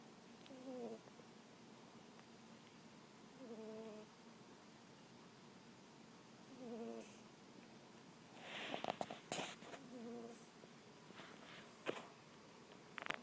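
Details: Domestic cat snoring in its sleep while a movie plays, soft tonal wheezy snores with falling pitch recurring every few seconds, interrupted near the end by brief rustling and clicking noises.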